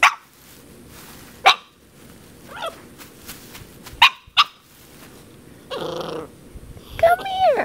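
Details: Ten-week-old puppy barking at a water bottle, a few sharp yips spaced a second or more apart, then a rising, whining yelp at the end, with handling noises between.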